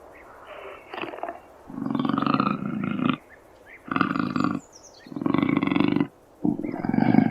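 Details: Deep, rough cougar growls in four or five sustained bursts, each about a second long, with a grating buzzy texture separated by short pauses.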